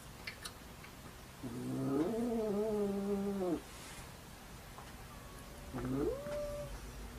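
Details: Domestic cat during a standoff at a window gives a long, drawn-out, nasal yowl of about two seconds with a slight wobble in pitch, then after a pause a shorter yowl that rises and holds; quiet room hum beneath.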